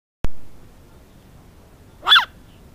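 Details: Shiba Inu named Cooper chokes on dirt while digging excitedly. A sharp click opens the clip, then quiet follows. Near the end comes one short, raspy, snort-like burst over a low background hum.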